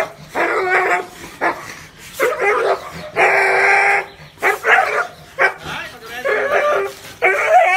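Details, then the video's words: Dog barking in loud, rough bursts of varying length, one long harsh bark near the middle, followed by shorter clipped barks and a high whine toward the end. "Tiếng chó sủa kinh hoàng, trầm, hay và ấm - Tiếng chó kêu"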